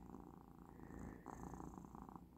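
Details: Domestic cat Persyk lying relaxed indoors on the last day of a course of medicine, purring steadily in a soft, rhythmic low rumble with regular pulsing throughout, a quiet room hum behind.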